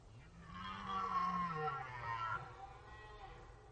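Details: Red deer stag roaring during the rut on the Orzysz military training ground in Poland, an archival recording; one long, deep, drawn-out bellow with a strained, harmonic-rich middle that swells and then fades over about three seconds.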